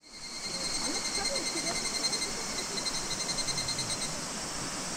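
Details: Higurashi cicada at the end of summer, recorded in August 2026 at Minoo Park, Kawachinagano or Mount Koya, Japan: a high beaded, rapidly pulsing trill runs throughout over a dense, steady hiss of insect chorus.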